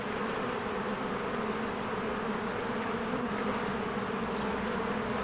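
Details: Honeybees swarming in and out of their hive while trees green in spring; steady, even wing-buzz drone throughout, with no other clear sounds.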